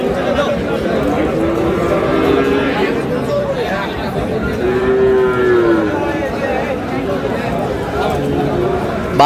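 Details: Sahiwal bull calves at the opening of trading at Aftabganj cattle market, Dinajpur, on 10 March; one low, drawn-out moo sounds near the middle over constant crowd chatter and voices.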